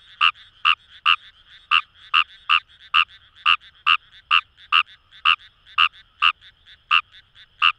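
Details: Fejervarya kawamurai, the Indian rice frog, calling in paddy fields along the Kamo River in Itoshima, Fukuoka, Japan: short harsh croaks repeated about twice per second in an uneven series, with fainter frogs calling behind.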